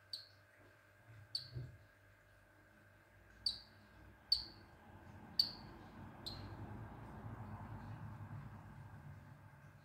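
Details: Male Baron's mantella frogs calling to attract females: six short, sharp, high-pitched clicks at uneven intervals over about six seconds, followed by quiet with a low background hum.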